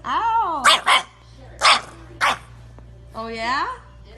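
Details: French Bulldog puppies: four sharp, noisy barks in two quick pairs, set among a person's high, sing-song voice talking before and after.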